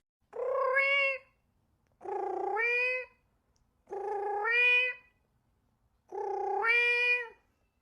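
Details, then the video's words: Domestic cat meowing to make cats come: four evenly spaced, nasal meows about every two seconds, each starting low and rough, then rising into a clearer, higher tone before stopping, on a silent background. "Sounds that attract cats - Meow to make cats come to you"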